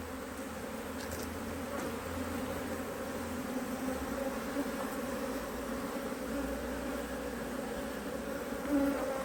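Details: Colony of honey bees working strongly in a Hive IQ beehive in Australia, almost mid-Autumn 2023, while the hive is opened to add another box. Even, continuous low humming drone with no other clear sounds.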